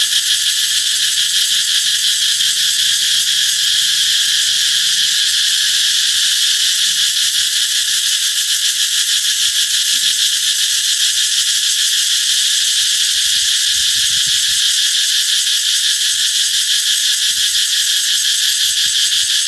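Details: Cicadas ringing out loudly to signal the coming summer, a constant sizzling high-pitched buzz without break, with occasional soft low thumps.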